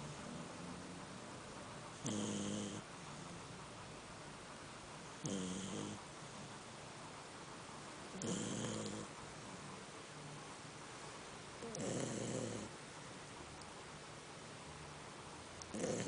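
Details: A female Labrador Retriever snores while sleeping, in slow, rasping breaths about every three seconds.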